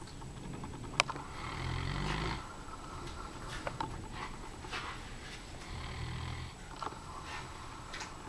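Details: Komondor called Saxon asleep and snoring, two drawn-out low, buzzy inhalations several seconds apart, with a sharp click at the start and light rustling between breaths.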